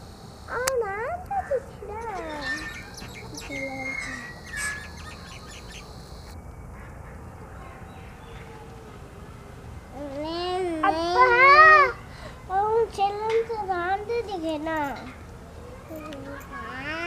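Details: White baby goats drinking milk, giving wavering, harmonic bleats: a few early calls, then a louder rapid cluster of quavering cries between ten and fifteen seconds, over a quiet background.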